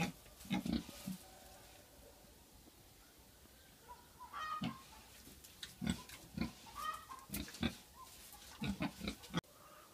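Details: Pig among a household's farm animals, grunting in low, rough bursts with pauses between, clusters of several grunts near the middle and end, and faint higher whistled chirps in the background.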